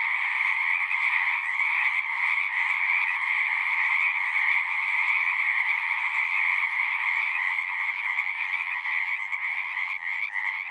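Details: Frogs singing at a pond in a horse pasture, recorded with a Zoom 6: a dense, steady chorus of overlapping trilling calls forming two continuous bands, one mid-pitched and one higher, with no pauses throughout.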